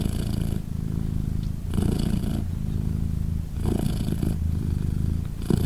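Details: Low rhythmic purring from Polina, a British Shorthair cat caring for three newborn kittens three days after birth; steady rumble broken by three louder breathing surges roughly every two seconds.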